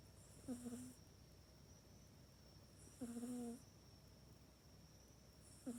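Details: Pet cat Mac asleep in a cat bed, used only at bedtime at night, filmed indoors on an iPhone 8; two full rasping snores and the start of a third, each a brief nasal drone with airy hiss, spaced about two and a half seconds apart.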